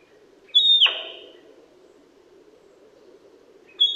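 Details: In Primorsky Krai, Russia, during autumn 2021, a male sika deer lets out a piercing downward-sliding whistle with a harsh, airy tail, and a second whistle begins about three seconds later.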